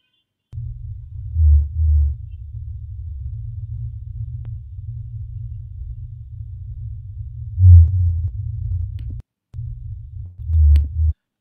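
A fin whale gives deep, booming low pulses over a steady underwater rumble.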